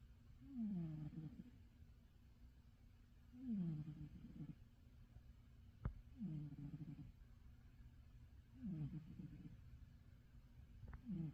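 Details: Roger the cat sleeps deeply in his favourite bed, giving steady low snores, each a rasping downward glide, about every three seconds, five in a row, with a soft click midway.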